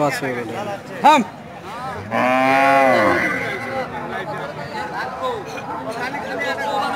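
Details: Cows with many people around; a man's speech and a short sharp noise come before a loud, rich moo of nearly a second, followed again by ongoing talk.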